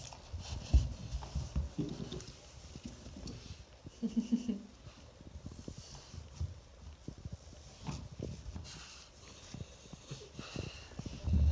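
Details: French bulldog wrapped in a blanket indoors, chattering its teeth from the cold: rapid, irregular dry clicks and taps in uneven bursts, with a person's voice speaking briefly midway.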